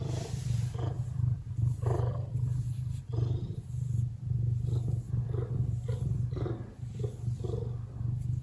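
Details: Lily, a relaxed Ragdoll cat, purrs close up. Her low, steady rumbling buzz swells and eases in cycles of about a second with each breath. Soft higher rustles accompany it. The purring signals contentment, not anger.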